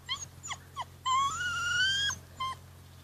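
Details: Rhodesian Ridgeback puppies at 53 days old, playing on a rainy-looking day: short high yelps, then a long drawn whine rising slightly over a second, followed by another brief yip; a low steady hum underneath.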